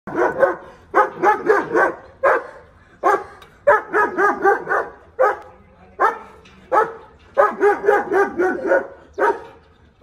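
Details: German Shepherd barking at an intruder: loud, harsh barks fired in tight bursts of two to four, roughly 77 per minute, with short pauses between volleys and a low background hum.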